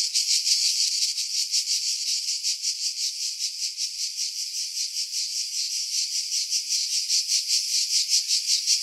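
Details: Cicada chorus in pine trees above Pefkos Bay on Skiros Island, Greece, July 2018; high shrill buzzing that throbs in steady pulses about three times a second, edited to remove strong wind.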